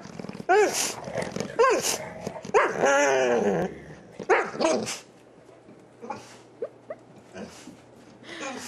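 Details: Excited dog greeting its owner just home, making funny noises: a run of yelping, howl-like whines with rising and falling pitch, mixed with short grumbly growls, in bursts over several seconds; quiet indoor room.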